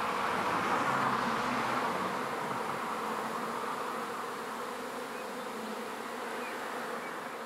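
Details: Bee swarm transferred into a new hive, many honey bees buzzing together in an even, unbroken drone with strong mid-pitched hum bands, slightly fading toward the end.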